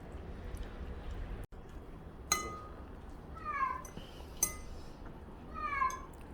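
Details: Cat meowing while its owner eats roast chicken; two short descending mews, one soft and one clearer, between sharp clinking taps, with low room hum underneath.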